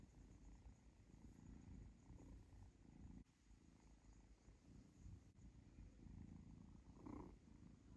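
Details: Pet kitten Zlata enjoys being stroked and purrs, nibbling her owner's fingers; soft low rumbling purr in breath-paced pulses, one brief brighter sound near the end.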